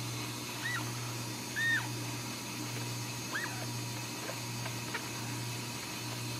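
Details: Ragdoll kittens raised uncaged in a home cattery in central Kansas give short, thin, high arched mews, about five across six seconds, over a steady low indoor hum.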